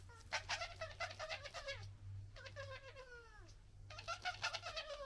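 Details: Wild urban European red foxes, a local family in Britain, interacting noisily, recorded on a handheld gimbal camera: three bursts of rapid, whiny, high yelping chatter, one ending in a drawn-out falling whine, over a steady low hum.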